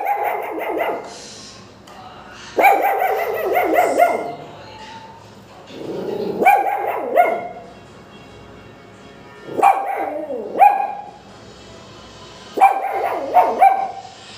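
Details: Pomeranian puppies barking for no apparent reason: bursts of high, sharp yapping barks, several in quick succession, recurring roughly every two to three seconds with quiet gaps between.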